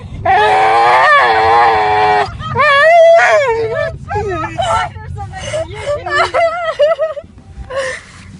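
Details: A dog crying in a car: a long, wavering, high-pitched wail held for about two seconds, followed by shorter rising and falling moaning cries, each with a clear tonal ring.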